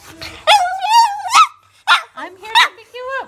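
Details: A female Pekingese, excited at being picked up after two nights in a kennel, cries in high, wavering whines that rise and fall, with a person speaking briefly.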